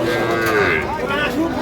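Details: Sahiwal bull calves at Ambari cattle market (haat), Dinajpur district, Bangladesh, on a Monday, 26 March 2025; a short wavering moo rises and falls over a busy market background.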